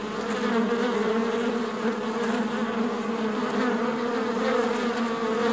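Honey bees fill a hive with a steady, dense buzzing hum.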